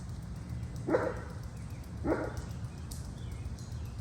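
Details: A neighbour's German Shepherd, not used to the person working in a nearby larch forest, gives two loud, deep barks about a second apart in quiet outdoor surroundings in late June.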